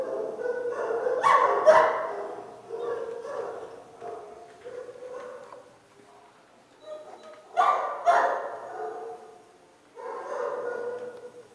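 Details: A litter of 28-day-old puppies from Bodie and Mattie, still sleepy before dinner, calls from its freshly cleaned pen: clustered high yips and whines in irregular bursts with short quiet gaps between.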